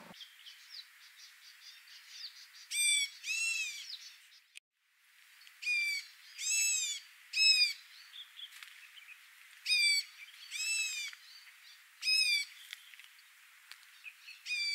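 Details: Barking deer fighting over territory in the Himalaya until the loser ran away: repeated arched, harmonic barks about every second or two, with a brief dropout midway and a steady hiss beneath.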